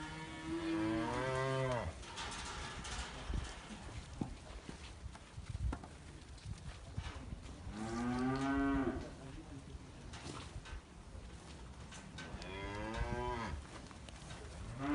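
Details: Holstein breeding bulls with American registration, located in Libres, Puebla, Mexico and offered for sale; three separate moos spaced several seconds apart amid clattering and rustling farm noise, with faint voices in the background.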